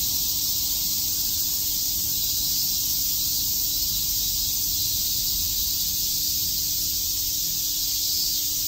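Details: Cicadas chirping on a summer day at Shakujii Park in Tokyo, a dense, unbroken high-pitched hiss that holds steady throughout with no breaks, and a faint low hum beneath.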